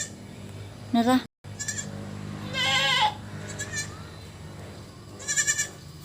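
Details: Goats at their evening meal give quavering, tremulous bleats, one short and high near the start, a longer strained cry midway and a shakier call at the end, with a low background hum.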